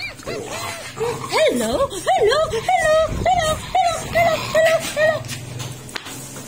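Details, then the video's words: Playful French Bulldog during a play session with its owner, giving a string of short, bending, yodel-like yips and grumbles, about two per second, with some human voice and room noise underneath. "CRAZY FRENCH BULLDOG"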